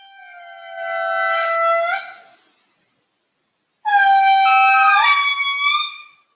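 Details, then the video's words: Standing off-trail directly beneath a wild indri in a Madagascar forest: two long, loud, horn-like wails, each sliding and wavering in pitch. "And I'll go ahead and take a moment to play a little bit of what it sounds like to be standing right underneath a wild INDRI."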